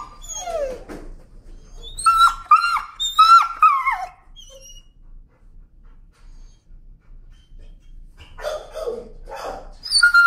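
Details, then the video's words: A leash-shy, timid dog screams and protests while being walked: a quick flurry of high, sliding shrieks for the first four seconds, a hush with a few faint whines, then renewed harsh yelping cries at the end. "Timid dog, afraid of leash, screams and protests."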